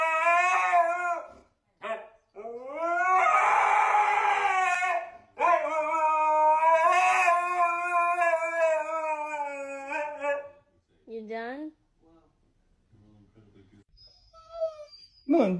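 A Siberian Husky howls in long, wavering, rising and falling notes, broken by short yips.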